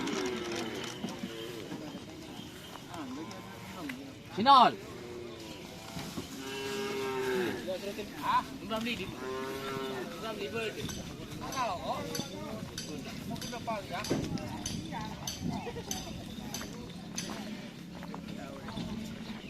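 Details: Bulls gathered for karapan sapi race training at Asemanis field, Pamekasan, give several rolling, harmonic moos in a cluster midway, over steady talk from onlookers, faint music and a brief sharp shout.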